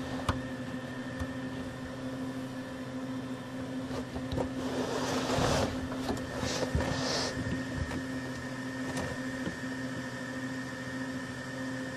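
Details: A steady mechanical hum with engine-like rumble and brief clicks, with no animal calls. A louder burst of rushing noise passes midway.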